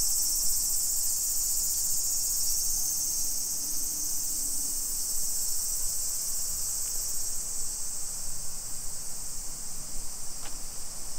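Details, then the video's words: Afternoon cicada chorus in suburban Nisshin, Aichi Prefecture, Japan, 28 July 2021 at 2 PM. An even, high shrilling buzz continues steadily, a little quieter, with a soft low rumble and a sharp click near the end. "Summer Cicadas Sounds"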